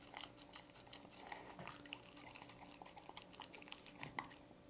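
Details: Canned dog food being eaten by a dog indoors, dense moist chewing and crunching clicks packed close together, a soft constant background hum under the short sharp bites.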